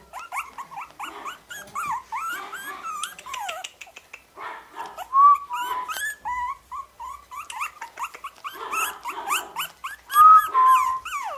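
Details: Several orange-cream Pomeranian puppies born 31 July whine and yelp at once in thin, high, wavering squeals that bend in pitch, short bursts overlapping in a busy, plaintive chorus.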